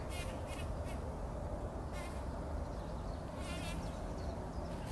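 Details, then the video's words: Bumblebees at dawn in poppy blossoms, 2019, wallowing in pollen. A dense low hum is punctuated by repeated short rasping buzzes, roughly one every second at first, then clustered later. "Hummeln wälzen sich in der Mohnblüte – summend wird das Pollenbad angenommen"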